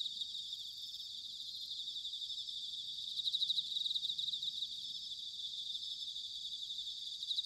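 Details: Autumn chorus of bell crickets from Sanuki in Chiba Prefecture, Japan: a continuous high, bright trilling wash with many insects overlapping, a louder pulsed stretch in the middle, and a faint low rumble beneath.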